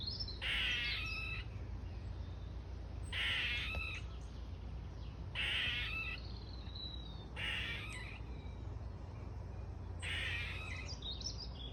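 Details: Squirrel calling from an ash tree in a garden, giving a rhythmic series of harsh, rasping, buzzy bursts roughly every two and a half seconds, five in all, with a faint high whistle between and steady background hum.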